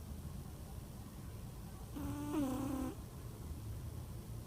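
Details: A sleeping house cat named Stesha gives one loud snore lasting about a second, a buzzy nasal tone that dips slightly in pitch with a thin whistle on top, then quiet low rumble.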